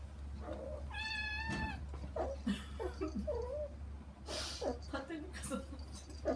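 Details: Kittens Saba and Kagishippo wanting to get to their mother Hana through frosted glass; one long clear harmonic meow, then scattered short chirpy mews mixed with a person talking and rustling indoors.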